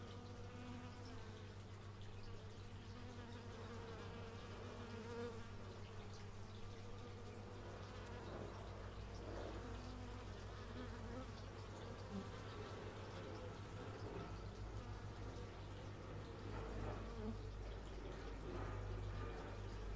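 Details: Bees recorded outdoors in stereo with an x/y microphone: a steady low drone of many wings, with faint individual buzzes drifting in and out, plus a constant low mechanical hum, possibly a neighbour's chainsaw, underneath.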